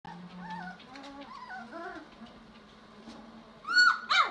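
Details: German Shorthaired Pointer puppies, five weeks old, giving a string of high wavering whines and whimpers, some rising and falling, several overlapping, ending with two louder sharp yelps.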